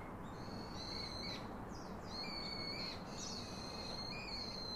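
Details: A baby monkey gives thin, high, drawn-out whistling cries, calling its father to hug and comfort it.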